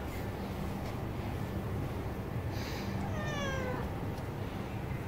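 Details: Bengal cat seeking its mother's touch, one fairly soft meow sliding downward midway, surrounded by a continuous low droning hum.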